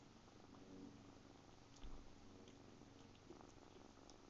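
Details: Seven-week-old kitten purring close up indoors; a steady low rumbling purr throughout with faint handling rustles.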